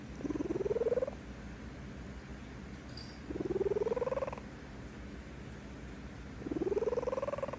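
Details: Sleeping female cat purring contentedly, three rhythmic bouts of throbbing purr, each about a second long and sliding slightly upward in pitch, with roughly two-second quiet gaps between breaths.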